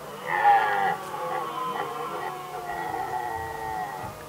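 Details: Red deer stags in Västmanland, Sweden, 2010, contesting hinds during the rut: a hoarse harmonic bellow swells for about half a second, then overlapping moaning roars continue at steady loudness.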